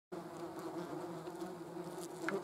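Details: German wasps with a hornet present: a steady, droning wingbeat buzz holding a low fundamental hum and a brighter overtone above it, continuous throughout after a sudden start.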